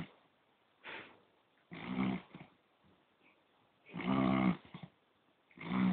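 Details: Poodle snoring in its sleep, with four rough, throaty snores of differing length, the loudest a long rattling breath near the middle, and quiet pauses between.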